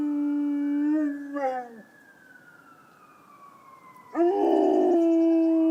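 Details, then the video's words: Rottweiler howling at ambulance sirens: a steady harmonic howl that breaks and slides downward, a quiet gap with a faint long falling tone, then a second strong sustained howl. "Rottweiler howling at ambulance sirens"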